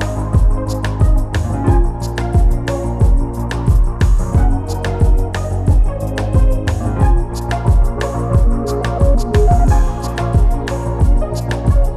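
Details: Loud rhythmic music with steady drum beats and sustained keyboard tones throughout.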